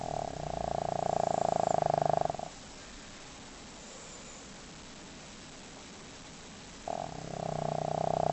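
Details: Pet dog fast asleep and snoring loudly indoors: a long, droning snore of about two seconds, a quiet pause of over four seconds, then the next snore starting, steady and buzzy.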